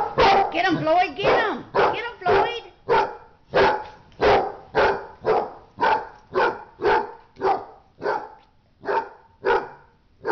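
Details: During a dog fight, quick wavering yelps and whines at the start give way to a steady series of harsh barks, about one every two-thirds of a second.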